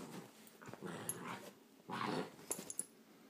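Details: Great Dane held at bay by a cat indoors, giving short rough growling bursts with whiny overtones, one swelling near the first second and a louder one around two seconds, followed by sharp small sounds.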